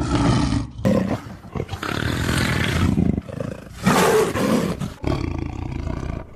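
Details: Tiger roaring: harsh, deep, rasping roars in several loud bursts separated by short pauses, with one bright, noisy outburst near the middle.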